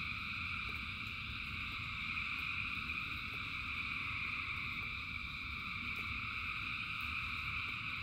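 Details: Thousands of frogs call in the rain, their combined trilling a steady high hum at several pitch levels, accompanied by the low constant roar of rain and a few faint clicking drops.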